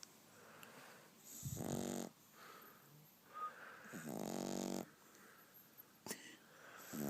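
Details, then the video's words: A French Bulldog puppy snoring: two long, rasping, rattling snores of under a second each, about two and a half seconds apart, with softer, shorter breathy snorts between them in a quiet room. "the snoring French Bulldog puppy"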